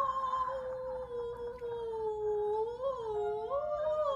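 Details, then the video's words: Pixie, a pet Schnauzer who usually howls when service vehicles with blaring sirens pass the house, gives a long, sustained, musical howl that holds steady, then wavers up and down near its end. "Our Schnauzer Pixie Howling"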